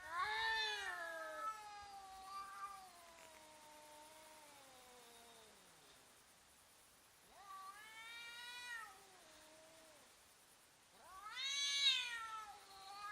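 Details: Cats intimidating each other while fighting, in slow motion: long wavering harmonic yowls that slide downward over several seconds, then two shorter rising-and-falling howls near the end, separated by quiet gaps.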